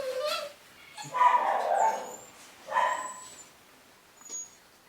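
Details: Cavapoo puppies from a new litter at a UK breeder, 2015: a short whining whimper, then two longer harmonic cries about two seconds apart, with a faint squeak near the end.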